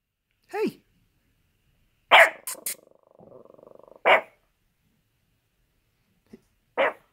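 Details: Angry Chihuahua wrapped in a blanket, barking sharply in short bursts spaced irregularly, with a rough, rattling growl between barks and a final brief bark.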